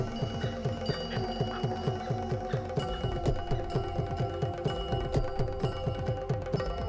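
Rhythmic mallet percussion music with ringing tones and no animal sounds.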